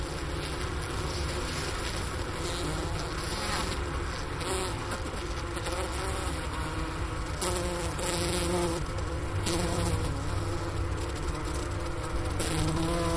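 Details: A steady, low hum of many honey bees inside a winter hive, recorded near the inner-cover hole beside a sugar brick, around 4 PM on January 16, 2024, at 15°F outside, in Wooster, Ohio.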